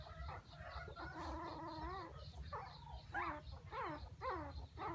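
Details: Several puppies crying and whining for their mother, overlapping high wavering whimpers with rising and falling squeals, some bursts repeating about every half second, over a low constant rumble.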